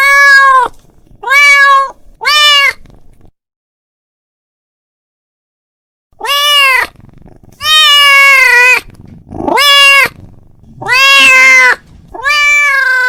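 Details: A domestic cat calls out to his friend with three short meows, falls silent for about three seconds, then gives a run of longer, louder, wavering meows, some with a rough, strained edge.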